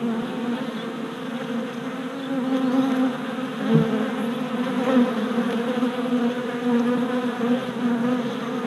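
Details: Many worker honey bees on orientation flights around a newly installed hive body, late April 2017, recorded with a GoPro Hero Session 5. Continuous swarming hum with overlapping wingbeat tones, growing louder midway as bees fly near.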